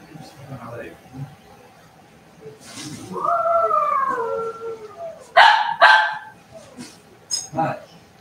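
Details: Cavalier King Charles Spaniel puppies at play indoors in a home puppy pen: a drawn-out whining cry rising then easing down, followed by two sharp, bright yelps in quick succession and a softer yelp near the end, over quiet room noise.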